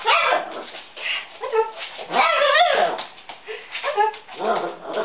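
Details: Chihuahua, described as going crazy, giving a run of high, wavering whines and short yips with a few rising and falling howl-like notes, nearly continuous over five seconds.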